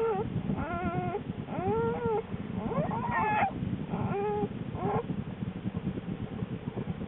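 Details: Lily, a wild American black bear, in her den on January 13, 2013, shortly before the birth of her two cubs. Several short, rising-and-falling whimpering calls with clear harmonics come in a series over a steady low rumbling background.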